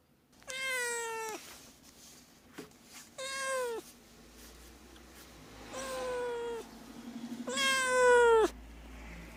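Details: Four long meows from a domestic cat, a call meant to draw cats near, each harmonic-rich and gently falling at the end, spaced about two to three seconds apart over a low background hum.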